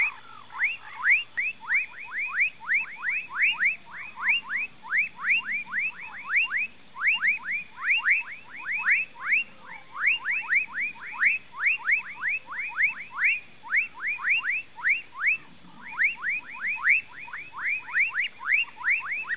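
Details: Frogs calling in a countryside Mauritia flexuosa palm swamp at Pedro Gomes, Mato Grosso do Sul, Brazil: a long, steady run of sharp upswept notes in rapid series, pausing briefly now and then, many voices overlapping.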